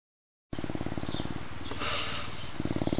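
A Canada lynx purrs in a fast, throbbing low rumble that pauses briefly, then resumes.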